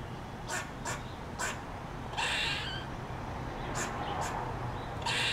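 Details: Squirrel just off a front porch in the morning, giving a distress call while still eating a peanut; sharp, harsh chips in quick irregular series, broken by longer hissing noisy bursts.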